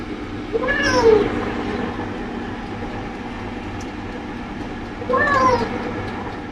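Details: Male British Shorthair cat from Guangzhou, China, meowing while being bathed: two drawn-out, wavering meows about four seconds apart over a steady low background hum.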